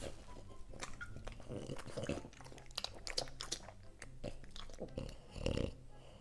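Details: French Bulldog indoors eating dog-safe green vegetables, giving a run of crisp, irregular crunches and bites, quiet between, with a few louder snaps toward the end and a low background hum.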